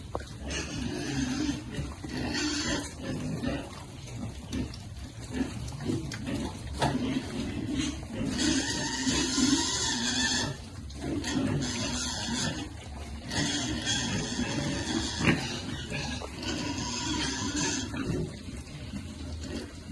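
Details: Piglets grunt steadily at feeding time, then break into harsh, broadband squeals in several long bursts, the loudest around the middle and near the end, over a busy background.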